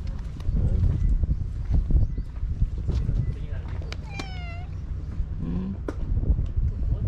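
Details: Stray cats during a spring fight: one clear, drawn-out meow that rises then falls in pitch mid-clip, followed by a shorter, lower call, with a person talking throughout and low rumbling traffic behind.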